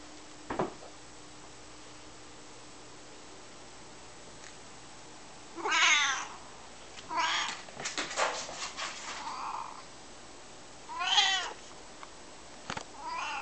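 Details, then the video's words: Dave, a Maine Coon cat playing fetch indoors, gives two clear harmonic meows a few seconds apart, each arching in pitch, between scattered clicks and knocks of play. "Dave the Cat Playing Fetch"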